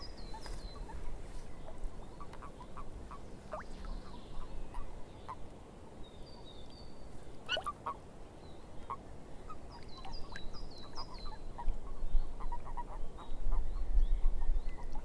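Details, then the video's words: A swamp chorus of frogs giving short, clipped croaks in an uneven patter, joined by bursts of high twittering birdsong and a constant low rumble that swells toward the end. "Frogs In The Swamp"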